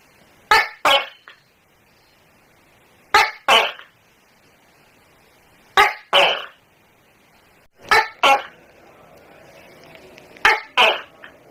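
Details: Tokay gecko in a house calling with five harsh, barking double syllables, each pair a clipped burst and a rasping follow-up, spaced roughly every two and a half seconds.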